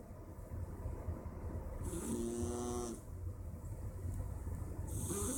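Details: A male Persian cat (Felis catus) snores on a Wednesday afternoon, a raspy, buzzing breath about every three seconds over a low rumble.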